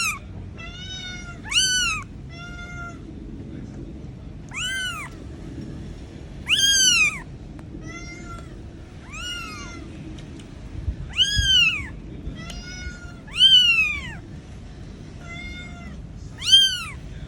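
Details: Tiny kitten calling for its mother, who goes looking for it: a long run of piercing, arched meows, with loud cries alternating with fainter, flatter mews, repeated steadily over a soft low-pitched background rumble.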